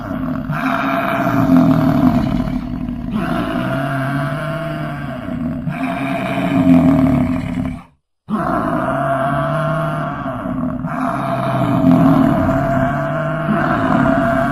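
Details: Deep, drawn-out roaring bellows of an American bison, full of low rumbling tones, repeating several times and broken by a brief silent gap midway.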